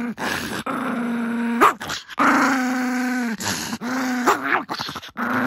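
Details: Kuromame, a Chihuahua shop dog living indoors with a Maltese named Marco, voices long drawn-out tonal grumbles, each held steady for about a second before a brief upward break, several in a row after being asked if he has reflected.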